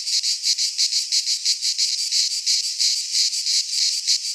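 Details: In a Greek pine forest at midsummer, cicadas produce an intense high buzzing that beats in crisp, even pulses roughly three times a second, a pure insect chorus without other sounds.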